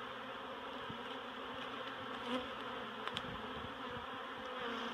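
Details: Steady, even drone of a honeybee colony during relocation from a barrel to a new hive at Miss Bee Haven, with a few soft taps in the background.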